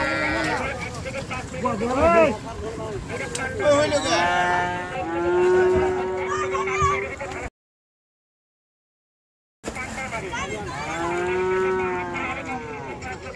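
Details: Cattle being unloaded from the river side at a busy village cattle market; long, steady, low moos drawn out for a second or two, twice, over loud overlapping human shouting and crowd chatter.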